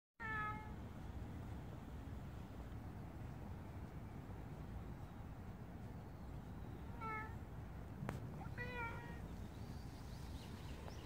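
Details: Stray cat giving three short bursts of meows, one near the start and two more around seven and nine seconds, each a clear harmonic wail over a steady low outdoor rumble.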